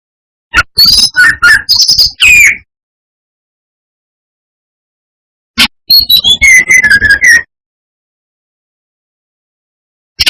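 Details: Lure song of a brown-chested jungle flycatcher, meant to provoke rival birds: two bursts of rapid, varied whistles and chirps, bright and high, separated by several seconds of silence, with a final short click.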